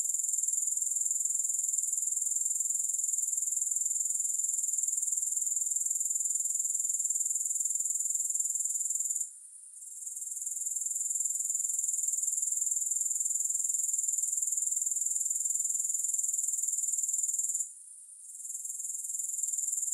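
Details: Steady, piercing high buzzing from grasshoppers with a fast, even pulse. Two short breaks interrupt it, and the sound climbs back after each one. No music or other sounds.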